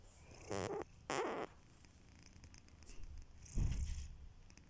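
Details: Kitiboy, a domestic cat, snoring while asleep: two short raspy breath bursts close together, then a longer, lower rumbling breath after a pause, in a quiet room.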